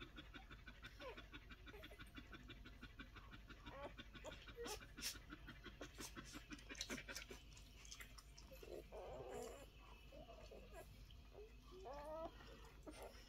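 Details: Week-old Collie puppies panting in a rapid, steady rhythm, broken later by short squeaky whimpers and small rustling movements in a quiet indoor setting.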